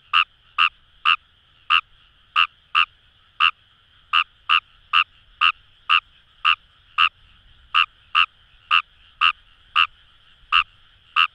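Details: From paddy fields of Itoshima, Fukuoka, Japan, a Kawamura's rice frog gives around twenty-one short, bright croaks, steadily repeated at nearly two per second, with the distant chorus humming beneath.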